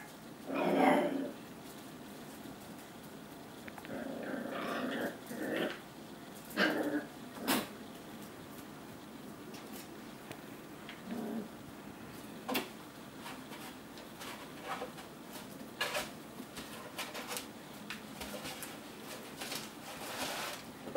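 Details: Eight-week-old Labrador and Australian Cattle Dog foster puppies play fighting, using a car carrier as a fort: soft growls, whimpers and scattered short yips, with clicks and knocks of toys between calls.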